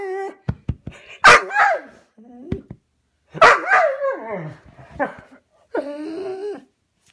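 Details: Dog left indoors after its brother was taken to the vet, separated and upset: sharp barks mixed with rising and falling whines and a yip, in short bursts with brief pauses in a small room.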